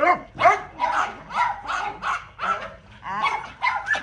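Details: Little dog in play gives quick, high-pitched yaps, about two or three a second, some with a squeaky rising edge, tumbling over one another.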